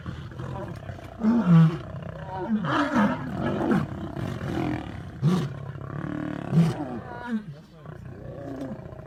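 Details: Several lions fighting, four attacking a single lion that growls and resists. Deep, rough roars come in separate bursts about every one to two seconds, each a short rising-falling groan, with some overlapping growls.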